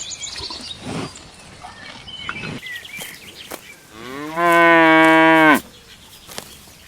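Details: Grazing cow in a lush countryside pasture gives a single loud, steady moo lasting just over a second after a few seconds of scattered bird chirps and soft outdoor noise.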